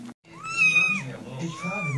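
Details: Kitten meowing while playing: two high thin meows, the first rising then falling, the second flatter and drawn out, with a low hum underneath.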